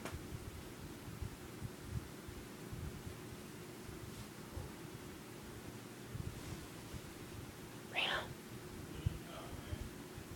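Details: Reno, a male cat, makes a weird purring sound, recorded on an iPod: a continuous low rumble throughout, with a brief higher rasping note near eight seconds.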